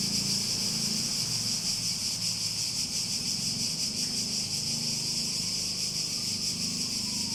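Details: Continuous cicada chorus forming a bright, even high-pitched buzz with subtle rapid pulsing throughout, backed by a low droning hum underneath.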